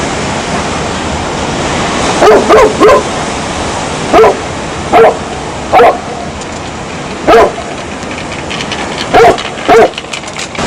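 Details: A dog barks repeatedly, in pairs and singles roughly every second or two, above a steady rushing hiss like waves on a shore.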